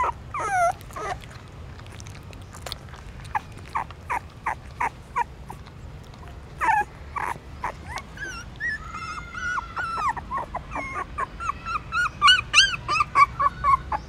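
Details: Newborn puppies suckling mother's milk at a pagoda stupa in Siem Reap, Cambodia; wet sucking clicks throughout, then thin rising and falling whimpers crowd together toward the end.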